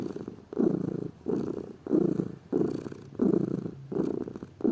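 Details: A lazy pet cat purrs up close: a low vibrating rumble in breath-length swells, each inhale and exhale marked by a louder band, six pulses over about five seconds.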